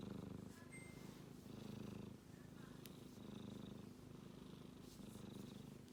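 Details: A male kitten snores in his sleep, producing a continuous deep, rough purring drone that grows louder and softer with his breathing; a single high ping and a faint click occur early on.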